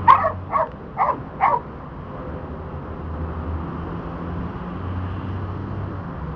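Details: Border Collie named Dante during disc dog training, working the back vault: four sharp barks in quick succession within the first second and a half, then steady low background rumble with no further calls.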